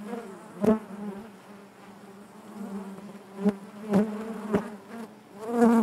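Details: Honey bees buzzing inside their hive: a steady low drone with stacked harmonics, broken by several sharp louder bursts as individual bees pass close, the loudest near the start and the end.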